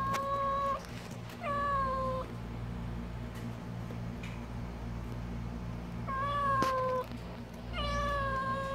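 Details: Four meows from Kkamangi the stray cat, well and unharmed in the summer heat: two close together, a long pause, then two more, each slightly descending, with a faint steady hum and a sharp click underneath.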